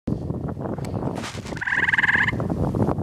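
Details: Gray tree frog singing to another frog in a wet area on the Carden Alvar, Ontario, 26 May 2013: one short, fast pulsed trill lasting under a second over steady rushing wind noise.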